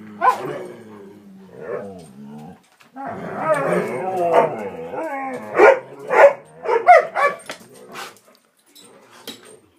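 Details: Excited pet dogs, three together, play-fighting vocally before a walk: warbling growls and whines build into a rough snarling stretch, then a string of quick barks and yelps that fades away.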